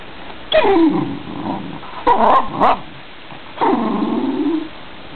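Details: Dachshund squeaking and whining because it wants to sit on its owner's lap; three separate bursts of moaning, falling whines with a rough, growly edge, spaced about 1.5 seconds apart.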